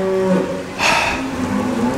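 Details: Hungry, unhappy cows on a farm give low, drawn-out moos during heavy flooding rain, with a steady wash of rain behind them; they had been turned back out and were waiting to come in.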